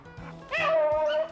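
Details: Hunting beagle in Minnesota chasing snowshoe hare with Doug Simons: a soft yip, then one long, clear, sustained bay that holds a steady tone before fading.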